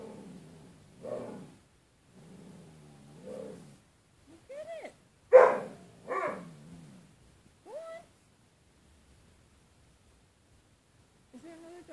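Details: A pet dog, Bruce Wayne, in a quieter stretch of his exchange with his reflection in closet door glass: low grumbling mutters, a sudden bark, and brief high whines.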